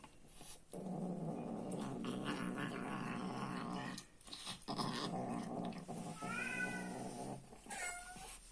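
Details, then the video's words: Domestic cat growling angrily as it eats, a sustained low rough rumble for several seconds, then a short pause and two wavering higher yowls near the end. "LISTEN TO THE SOUND OF THE ANGRY ALPHA EATING FOOD"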